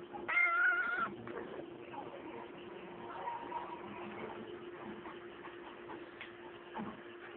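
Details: A cat that has taken over a computer talks cute so its owner won't move it: one short, tonal, slightly wavering meow near the start, then only a steady low room hum and faint background sounds.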